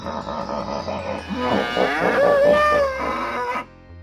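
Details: Bull mooing, a long drawn-out harmonic call that rises and then holds a wavering tone for about two seconds, with background music playing throughout.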